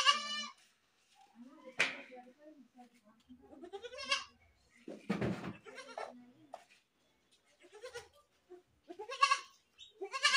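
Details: Goats bleating and screaming: repeated harsh, quavering bleats of varied loudness, some short and nasal, with a burst of broadband noise in the middle and many overlapping calls.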